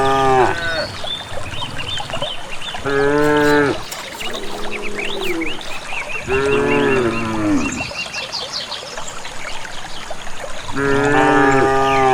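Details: A herd of cattle walking calmly, unherded, toward a green valley pasture in rural village countryside. Several loud harmonic moos, some long and wavering, come at uneven intervals, with birds chirping and whistling in the background.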